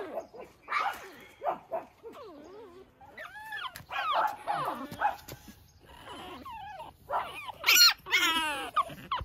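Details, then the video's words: Pekingese puppy playing outside in the early morning; scattered whimpers and yips, with sliding wavering whines in the middle and a loud high squeal near the end. "찡찡이 아기페키"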